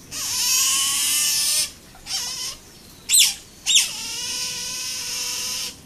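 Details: An Asian small-clawed otter at Nagasaki Bio Park, 12 July 2015, gives long, high, thin whining squeals, broken by a few short rising chirps before another drawn-out whine; nothing else is heard.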